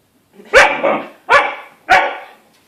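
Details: Siberian Husky; bark; puppy inviting play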